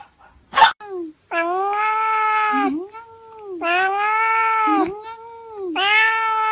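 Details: Cat meowing several times in a row: short chirps, then long nasal meows that dip and swell, separated by quieter sliding whines, in an indoor setting.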